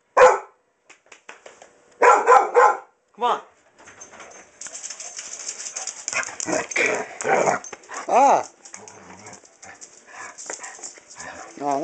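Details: Hunter, a pet dog playfully going for its owner's pants, barks in short rapid bursts, then rustling and a man's voice pleading with it as a high wavering whine-like vocalisation rises at the end.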